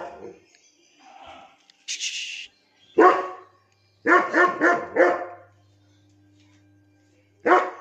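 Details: A 17-month-old German Shepherd in Lucknow gives a few scattered barks, including a single loud bark and then a quick run of four, with faint background sounds and a low steady hum between them.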